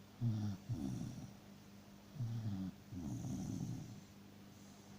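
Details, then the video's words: Freya, a pet dachshund, snores in deep sleep: short rattling low snorts followed by a longer, softer wheezing exhale, all low-pitched and close. "Собака сладко спит и храпит"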